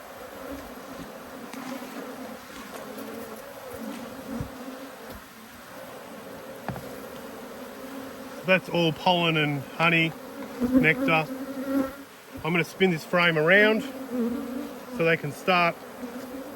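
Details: Honey bees defending two hives under inspection, 5 March 2022. A quiet steady hum for the first half, then a rush of loud, wavering buzzes as many agitated bees dart repeatedly past the microphone.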